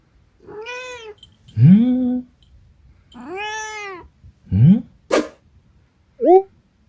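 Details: Munchkin cat meowing twice in long, arched calls that rise and fall, alternating with a person's voice imitating and answering in short rising syllables.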